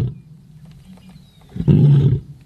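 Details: Leopard voice at night: faint low rumbling background, then one loud, deep, rasping roar of under a second that fades out at the close.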